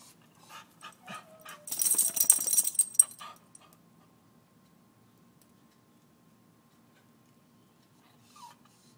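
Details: Beagle barking at squirrels: a quick run of sharp, high yelping barks over the first three seconds, then near silence with a low steady hum and one brief faint whine near the end.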